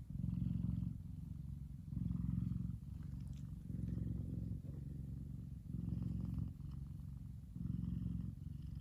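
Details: Male F2 Savannah cat Kumba purrs contentedly while resting in the sun. A strong, low vibrating rumble alternates with slightly softer passages roughly every second or so, continuing without pause.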